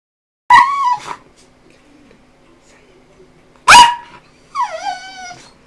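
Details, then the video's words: Jambo, an eight-year-old pet dog, vocalizing 'hello' and 'hello mama': two short, bright, wavering whine-like syllables, then a longer falling, strongly harmonic yowl after a pause, in a quiet room. "Amazing dog called Jambo saying hello and hello mama"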